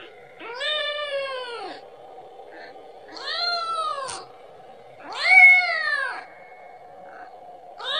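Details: A kitten calling repeatedly to its mother for milk: three long arched meows about two seconds apart, the last loudest, and a fourth just starting at the end, over a steady low hum.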